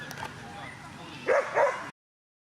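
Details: At a 2017 Twin Cup coursing event in Latvia, a whippet lets out two quick, sharp barks after a stretch of people talking.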